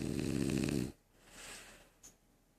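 A French Bulldog snores with a loud, rough, rumbling inhale, followed by a softer breathy exhale.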